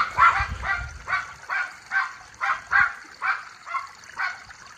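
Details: Miniature Schnauzer brothers Levi and Lucky let off the leash outdoors in spring after the snow melted in Aroostook County, Maine; a steady run of about nine mid-pitched barks roughly every half second, with water trickling faintly behind.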